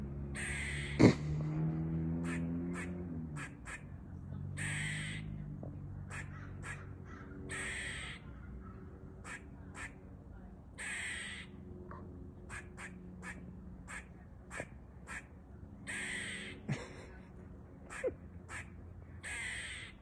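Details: A squirrel in California calls with short, harsh, scratchy barks in irregular bursts a few times each second, over a steady low rumble like distant traffic.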